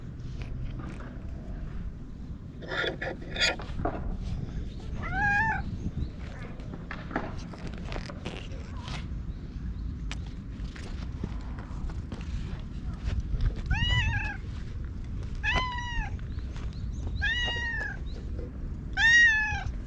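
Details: Orange tabby stray cat talking in cat language while being groomed with a cat comb, recorded on a GoPro. After quiet rustling and brushing, five short arched meows come in the second half, roughly every one to two seconds.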